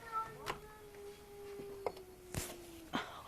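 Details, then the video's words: A cat crying at night, heard but not seen: a long, steady, level wail that slowly drops in pitch and fades, broken by clicks, knocks and brief bursts of a person talking nearby. "Crazy cat randomly making noises"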